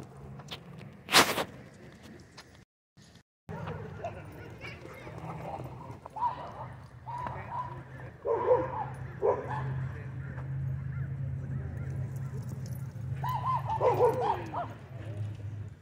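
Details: Dog at a dog park giving a few short, bending whines and yips scattered through the middle and end, over a steady low hum with human voices and a sharp knock early on.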